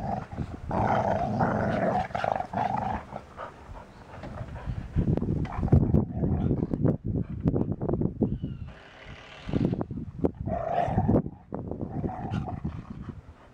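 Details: Two dogs, a wet beagle and a dry English Springer Spaniel, face off in low rumbling growls and throaty vocal bursts, broken by short gaps and scuffling noises.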